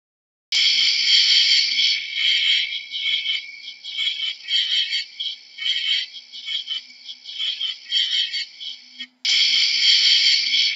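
A cricket gives a shrill, high buzzing trill that pulses in rapid bursts.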